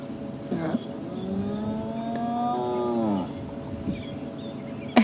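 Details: During a morning sunrise drive in January, a spotted hyena gives a low, drawn-out, cow-like moan as a contact call, quiet to people but audible to hyenas a couple of kilometres away.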